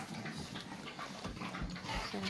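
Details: Five-week-old Staffordshire Bull Terrier puppies with their mother, recorded 2 December 2023; faint, soft whimpering squeaks and panting-like breaths over a low background murmur, with a quiet human voice nearby.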